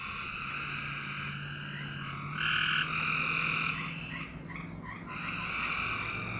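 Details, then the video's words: Frogs at night: one loud buzzy trill stands out briefly over fainter, distant trilling callers, with a steady low hum throughout. "A Strange Night Sound? And Frogs!"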